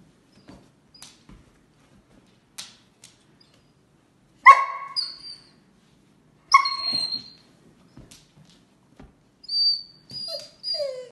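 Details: Basset Hound playing with a longed-for toy gives scattered whimpers and whines: two louder broken whimpers near the middle, then a run of three short high whines toward the end, amid quiet rustling and clicks.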